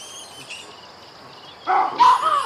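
A baboon lets out two loud, harsh, barking screams in quick succession after faint high bird chirps in the background.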